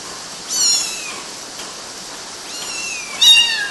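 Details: Kittens climbing on mosquito nets in Galati, Romania, June 2012: thin, high-pitched kitten mews, one near the start and a sliding, falling pair near the end, with steady background hiss between.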